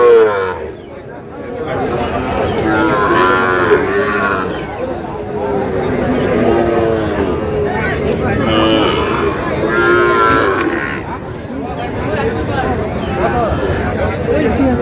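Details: A crowded cattle market in Khulna, Bangladesh, during the sale of a Sahiwal bull calf: scattered moos rise out of constant talk and bargaining voices, loudest around the middle of the stretch.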